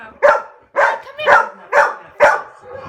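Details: A home dog reacts to barking sound effects with five loud, rough barks spaced about half a second apart, each with a short husky tail.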